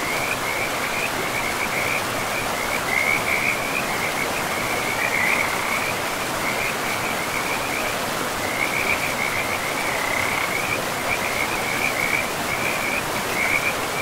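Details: Frogs along a river in pristine, mossy forest give repeated high trilled croaks in strings lasting a second or two, nearly continuous across the stretch, set against a heavy, steady roar of flowing water.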